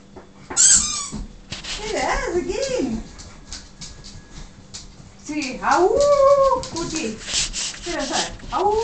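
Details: Siberian huskies indoors, excited by a squeaky toy, giving loud wavering whines and yodel-like yowls that bend up and down in pitch in two long bursts, with a sharp high squeak near the start and a person talking.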